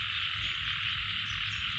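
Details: In a rice paddy field during the rainy season, a steady high chorus of frogs fills the air, ending in one short, low, throaty croak.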